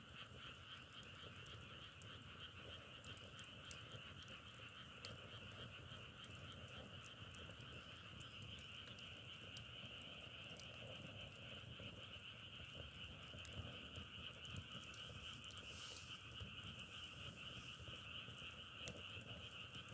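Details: A continuous chorus of frogs keeps up a steady, dense trilling through the whole stretch, with irregular sharp pops and crackles from burning firewood and one loud snap.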